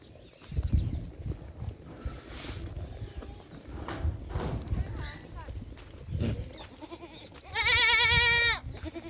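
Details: Goat on a Rajasthan farm in India giving one loud, steady, harmonic bleat about a second long near the end, after a stretch of human speech and low handling noise.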